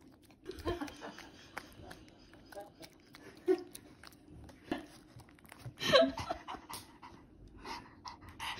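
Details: Pomeranian dog indoors, busy with treats in a small room; soft rhythmic panting breaths run through, broken by a short, louder tonal whine-like burst about two-thirds through, with faint chewing clicks and a little background speech.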